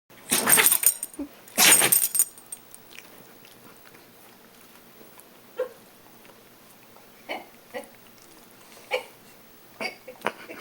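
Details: Bichon Poo named George sneezing indoors: two loud, explosive sneezes within the first two seconds, then a run of softer, short snorting sniffs spaced a second or two apart.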